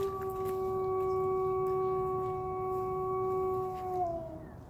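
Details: Wolf in a wildlife sanctuary giving one long, steady, tonal howl, held at an even pitch for about four seconds before sliding downward and fading at the end, over a low background rumble.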